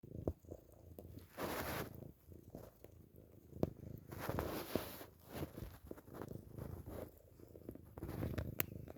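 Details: Chubba, a pet cat, purring while sucking on a pillowcase: a low continuous rumbling purr under bursts of soft wet sucking and rustling noises, with a few sharp clicks.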